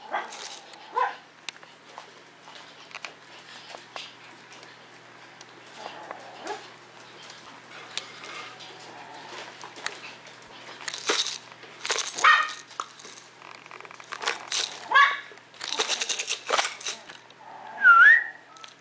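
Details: Misty, a pet Maltese dog from a Maltese and Yorkshire terrier kennel: scattered short yaps and whimpers spread irregularly over the recording, mixed with rustling, clicking household noises and occasional quiet human voices indoors.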